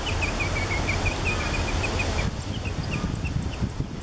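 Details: Cotton-top tamarins at Alma Park Zoo in November 2013, a family with two ten-day-old babies riding on the father's back, filmed on a Canon SX50: rapid run of short high chirps, then sparser chirps over steady low rumble.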